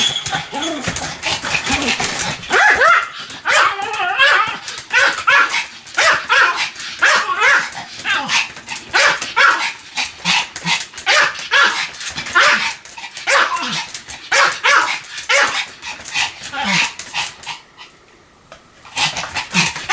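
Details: Sam the Pomeranian in a sustained barking fit, shrill yaps fired in dense bursts for almost twenty seconds with only brief gaps, one short silence near the end before the barking resumes.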